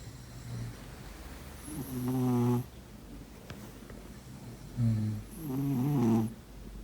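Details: Pet cat snoring while asleep: two drawn-out, rasping snoring breaths, each with a low humming core and a slight rising-falling wobble, separated by about three seconds of near quiet.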